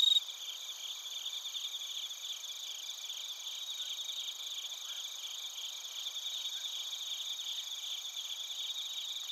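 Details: Bell crickets and other crickets chirping together at Narita, Chiba Prefecture, Japan, captured on a TASCAM Portacapture X8: a dense, unbroken high-pitched chorus of layered trilling bands, steady throughout with a faint background hiss.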